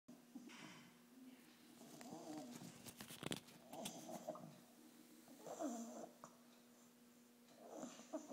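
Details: An 8.5-week-old English bulldog puppy snores during its first vet visit, with rough, rattling breaths rising and falling with each inhale.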